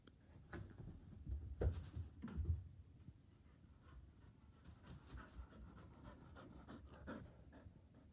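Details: Border Collie on a couch, eager to play ball; quick soft low panting breaths with a few louder huffs early on, otherwise a quiet indoor room.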